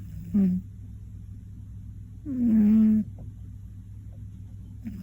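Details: Loud midday-nap snoring from Koron, a male Scottish Fold cat aged one. A brief snort comes first, then a longer throaty rasp about two seconds later, with quiet breathing gaps around them.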